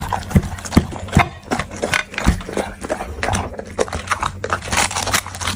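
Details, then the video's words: Dog eating, with irregular crunchy chewing clicks and scrapes a few times per second, some sharper bites early on, over a steady low electrical hum. "The Sound Of Dog Eating"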